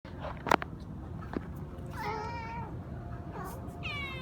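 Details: Hungry cats at a monastery in Siem Reap, Cambodia, meowing loudly while waiting to eat rice; a few separate harmonic meows, one sliding downward near the middle and a higher one at the end, over steady background noise and clicks.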